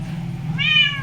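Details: Pet cat sitting on a washing machine indoors, talking back to its owner: a single clear harmonic meow rising then gently falling, heard after a low steady hum, with the owner's voice around it.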